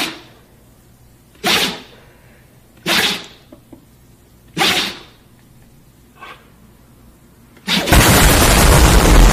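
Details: Husky dog sneezing: four sharp, explosive breathy bursts roughly every one and a half seconds, the fourth softer, followed by a sudden loud, steady rushing noise that fills the rest of the recording.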